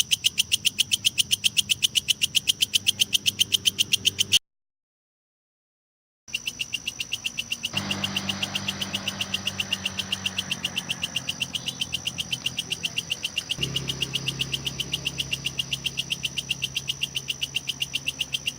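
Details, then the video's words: High, dry pulses of a kecek grasshopper, kept as masteran for competition lovebirds, tick on regularly about four times a second. A short silent gap interrupts, then the pulsing resumes over shifting low hum and noise. "suara belalang kecek sangat cocok untuk masteran burung lovebird"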